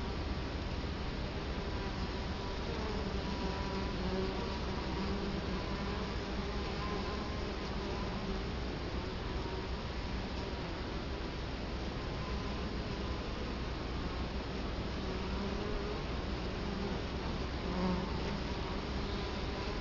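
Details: Italian honey bees at a hive entrance in Colorado Springs, October 2011, camera placed right in front of the hive; a steady, dense droning hum with faint overlapping tones from many wingbeats, no other clear sounds.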